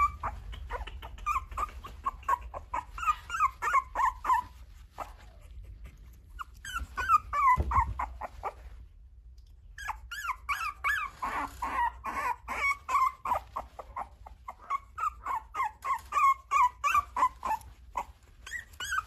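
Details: High-pitched whining from a French Bulldog at a breeder's in Okayama, Japan: rows of short, nasal whimpers about three per second, stopping briefly twice before starting up again.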